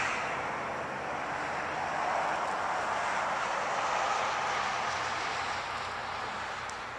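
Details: Passing traffic roar near Pickwick Lake, Tennessee, broad and steady, no animal voice heard.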